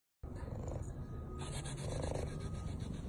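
A tiger gives a deep, steady rumbling purr with a throbbing, pulsed texture.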